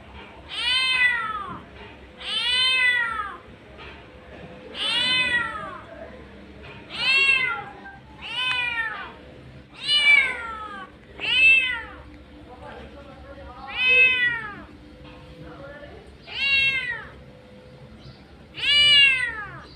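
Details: A street mother cat calls out for her kittens with a long run of loud, plaintive meows, each rising then falling, about every one to two seconds, over a low constant hum.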